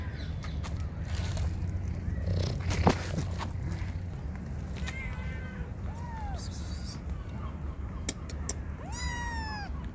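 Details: Hungry kittens and their mother cat at feeding time, giving a few short meows: a faint one midway, then two clearer arched meows near the end, over a steady low rumble with scattered clicks and taps.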